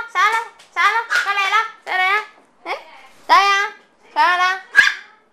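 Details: Micro teacup poodles of Swamp Rats and Velvet Touch bloodlines, originally from Alabama and now kept as pets in Hong Kong, give a run of short high-pitched yaps and whiny barks, several in quick succession with brief pauses between bursts.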